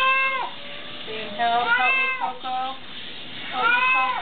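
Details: Lou the cat wails during a bath, calls likened to "help"; three or four stretched, harmonic-rich meows with bending pitch come in close succession, the pet loudly vocal throughout.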